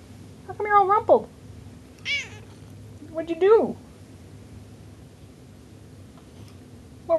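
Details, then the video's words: Indoor house cat meowing repeatedly, rising-then-falling harmonic cries, three clear meows within seven seconds, interleaved with a woman talking to the cat about being rumpled. "Talking Cat"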